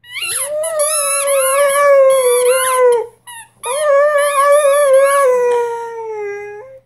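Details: Six-month-old Rhodesian Ridgeback puppy howling at a squeaky toy it is trying to figure out for the first time; two long wavering howls with yips and squeaky breaks, a brief pause between them.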